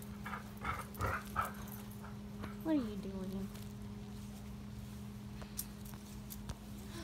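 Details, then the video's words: English Springer Spaniel chewing on a stick growls in a short low rumble that bends up and down, after a person says no several times; a steady indoor hum runs underneath. "English Springer Spaniel chewing on a stick, and growling…"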